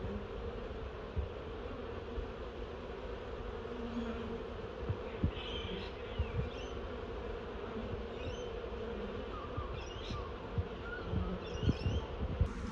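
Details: Honey bee swarm crawling down into a new hive box placed below a tangle of sticks; a steady low droning hum with bands around 200 and 500, faint higher chirps of other birds and a few soft knocks.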